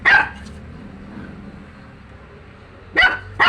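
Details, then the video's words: Dog barking: one sharp bark at the start, a pause of nearly three seconds with low background hum, then two quick loud barks close together at the end. "Dog bark"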